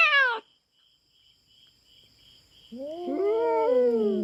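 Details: Feral cat trespassing on farm cats' territory in the Philippines, fighting a black cat: a short high cry cut off, silence, then a lower drawn-out wavering moan building again, a thin steady tone in the background.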